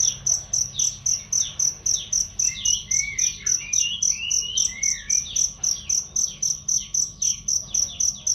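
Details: Cricket used as a training sound for songbirds, voice loud and clear; bright high chirps beat evenly at almost four per second while softer bird twitters and whistles weave through the middle.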